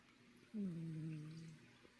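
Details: Cat snoring indoors: a single low, humming tonal snore lasting about a second, starting slightly higher before settling into a steady drone, over faint room hiss.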